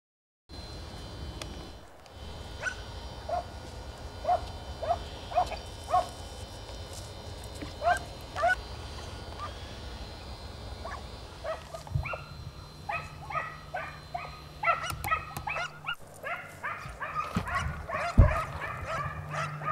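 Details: Italian hounds (Segugio Italiano) on a hare chase in the Vignone, Italy: distant, scattered bays over steady low rumble and background noise, building to a denser, overlapping chorus of several dogs in the second half.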